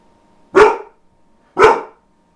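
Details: Two loud, full barks about a second apart from Ronin, a dog known for hardly ever barking, each burst strong and rough, then tapering, heard indoors over a faint steady hum.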